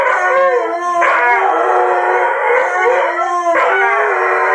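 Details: Pair of Brittany dogs in a sustained duet howl, drawn-out rising and falling notes, fresh breaths drawn about every one to two seconds, voices layered and continuous.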